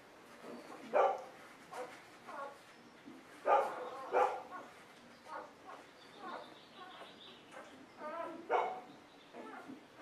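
Golden Retriever puppies give short, high yelps and whimpers in irregular bursts.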